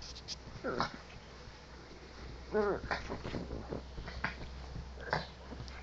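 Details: Pug Jax, a household pet, being silly with his ball in bed: a short nasal snort, then a brief wavering whine near the middle, followed by scattered snuffles and faint human voice.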